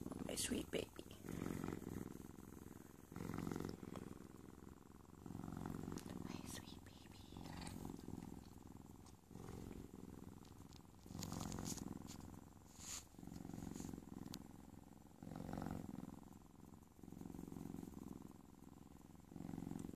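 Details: Cheetah cub in bed enjoying kisses, purring in long rhythmic low rumbles that pulse in bursts of a second or two, with brief breaks between breaths and light rustling and kissing noises.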